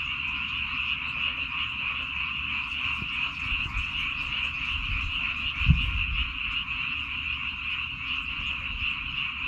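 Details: Rice-field frogs on Baengnyeongdo Island, South Korea, calling en masse: a steady, high, buzzing chorus of countless overlapping croaks, with a low rumbling thump near the middle and gusty low noise.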